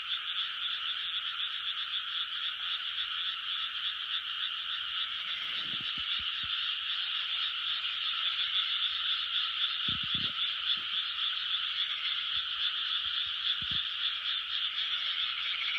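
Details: Many frogs calling together in a big 2020 chorus, their rapid overlapping croaks merging into an unbroken buzzing drone that holds steady, broken only by a few brief low knocks.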